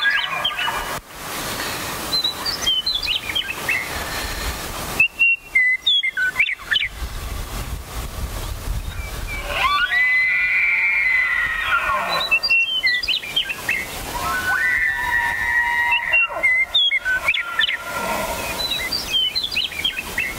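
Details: Elk bugling: long, high, whistled tones held steady for about two seconds near the middle and again toward the end, with a rising onset, among quick chirping bird calls in an open outdoor setting.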